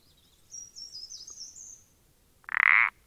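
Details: Common parsley frog (Pelodytes punctatus), 14 April 2020: a single harsh pulsed croak closes the recording, preceded by a thin, high, wavering twitter.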